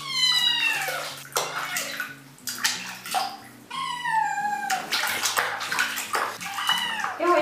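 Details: Young kitten grumbling nonstop while being given a medicated bath; repeated drawn-out meows, some falling in pitch, over soft background music and splashing water.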